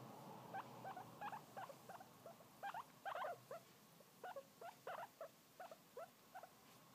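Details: A tiny new pet guinea pig gives a quick series of short, squeaky chirps, about twenty in seven seconds. The notes bounce between mid and higher pitch, sometimes in close pairs, over a quiet indoor hiss.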